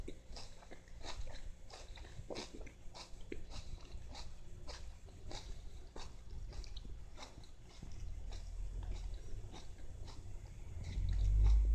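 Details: Siamese cat steadily chewing lettuce, with crisp crunches repeating almost three times a second in a loose rhythm, then a loud low thump at the end.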